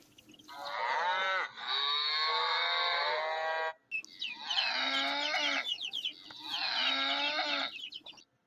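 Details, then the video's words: Cow lowing in three long, harmonic moos, the first stretching over two seconds, the later two shorter with a wavering pitch; faint background noise beneath. "Cow sounds"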